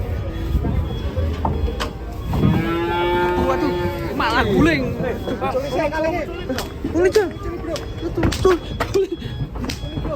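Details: Cattle unloaded from a truck, a long drawn-out harmonic moo in the middle with shorter bellows around it, amid shouting people, clapping and clattering noise.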